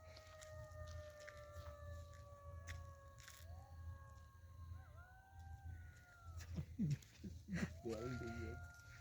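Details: Golden jackals howl in the distance on a quiet winter night around 7:30–8 pm in a Bankura village, with long, sustained wailing tones that bend and overlap, ending in yipping quavers.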